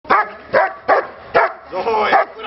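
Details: German Shepherd barking during a training session: five sharp, loud barks at roughly half-second intervals, the last one drawn out, with a trainer's voice nearby.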